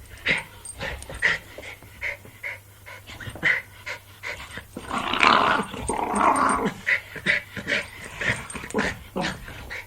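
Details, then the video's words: Jack Russell Terrier at play, giving short clipped growls and yips repeated about once a second, with a longer, louder rumbling growl near the middle. "Sonido de un Jack Russell Jugando"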